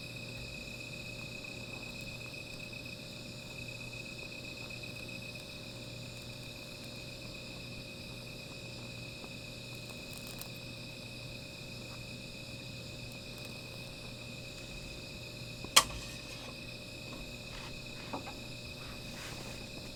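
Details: Nighttime insect chorus beside a small fire: steady, thin, high ringing tones sustained for the full duration, with scattered faint clicks and one loud sharp snap near the end.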